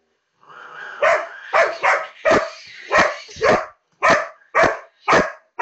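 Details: A female labrador retriever barks at a cat on a computer screen: a rapid, steady burst of about nine loud, harsh barks, roughly two per second, with no other sounds.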